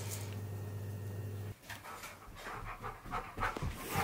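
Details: Pet Siberian Husky indoors, panting while waiting to be given his dinner; a quiet steady hum gives way to rapid, irregular breathy pants near the end.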